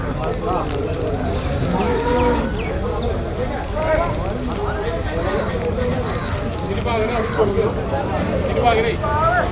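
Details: Domestic water buffalo calves crowded together for sale at Manjeri market, Malappuram, Kerala, India. Many overlapping moaning calls with harmonic bands, rising and falling, sound almost continuously over a steady hubbub of crowd noise.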